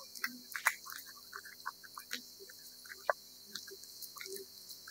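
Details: Cat eating wet food: scattered wet smacks and sharp clicks, irregular and sparse, with short quiet gaps between bursts of chewing.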